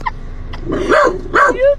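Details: Dog behaving oddly gives two short, arched barks close to the microphone, half a second apart, after a faint earlier yip.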